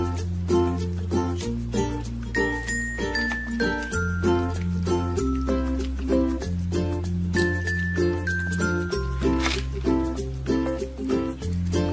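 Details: Upbeat instrumental music with a steady bass line, bright sustained keyboard notes and tinkling bell-like accents throughout; no animal voice stands out.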